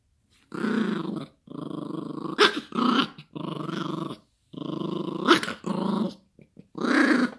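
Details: A Yorkshire Terrier puppy playing with its owner and a dog toy growls in rough, rumbling bursts, broken by a few sharp barks.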